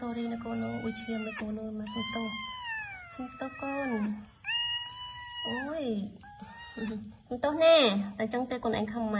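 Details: Repeated cat meows, some long and level, others swooping down in pitch, come in close succession indoors while human speech and low voices run alongside.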